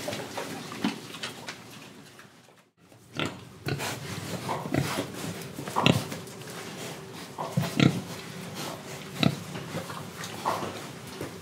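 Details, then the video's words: Pigs in Indonesia breathing and eating, with short oinking grunts and snuffles scattered through the recording, a brief silent gap near the start, then repeated sharp munching clicks and low grunts. "Pig Sound Effects Oink Oink, Breathing & Eating"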